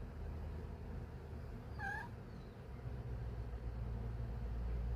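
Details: Pet cat sitting in her favorite spot watching birds outside, giving a single brief chirp that rises then dips. A steady low rumbling hum continues throughout.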